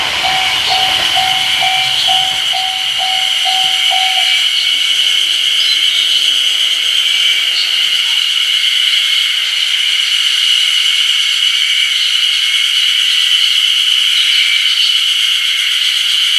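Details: Ezo haruzemi cicadas in full chorus on 1 June 2019 at the Ōgiri level crossing on the Kamaishi Line, Japan: a loud, steady, high shrilling with pulsing overtones, while a crossing bell clangs at a regular beat for the first four seconds.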